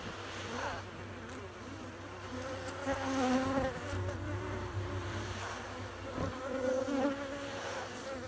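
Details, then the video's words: Honey bees buzzing or humming, a steady low drone with wavering tonal bands, swelling louder around the middle and again near the end, with low rumbling underneath. "buzzing or humming noise of bees"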